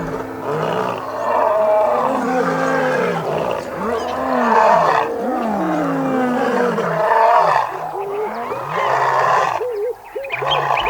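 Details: In the morning, lionesses of the Xakanaxa pride, reunited after a night apart, roar together in long, moaning, rising-and-falling bursts to consolidate the pride, and hidden males answer from long grass: lion (Panthera leo) bonding roars.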